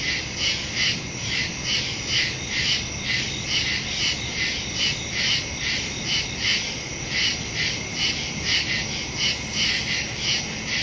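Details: Crickets in the woods after dark, recorded September 2, 2023 with a Shure MV88+ stereo microphone on a Samsung Galaxy S22 Ultra; shrill high chirps pulse steadily, several layered callers keeping a fast, even rhythm.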